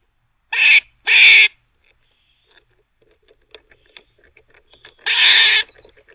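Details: A squirrel barks while teething, a quick rasping double bark followed by a longer harsh burst, soft chewing clicks in between.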